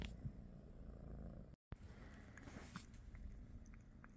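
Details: British Shorthair cats at home in the morning; low, close purring with a brief cut near the middle, then purring resumes alongside small clicks and faint rustling.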